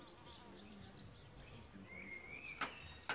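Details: Solitary bees nesting in a bug hotel give a low, droning hum that wavers in pitch through the first two seconds. Thin whistled bird notes run behind it, and two sharp clicks come near the end.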